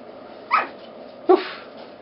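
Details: Four-week-old Border Terrier puppies, one female and three males, kept indoors with their three-year-old mother, giving two short high yelps about a second apart.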